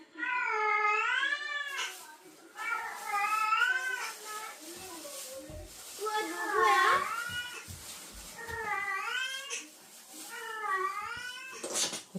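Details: Female domestic cat in heat responding to a calling male indoors: drawn-out undulating yowls, five or six long wailing calls each lasting about a second or two, separated by brief pauses, with quiet human speech nearby.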